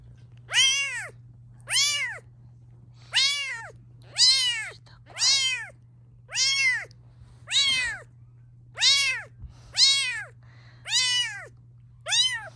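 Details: Indoor domestic cats: a mother cat near her growing kittens as they are filmed, objecting to the filming. Loud, arched, falling meows repeat about every 1.2 seconds, ten in a row, over a steady low hum.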